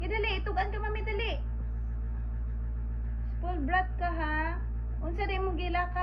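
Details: Pet Pomeranian in a home, giving long high whining cries with bending, wavering pitch in three bursts of about a second each, over a steady low hum.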